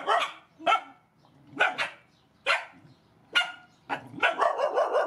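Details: Rescue mother dogs and puppies at feeding time give sharp, irregular barks and yips, about one a second, some doubled, with a rapid cluster of short yaps near the end.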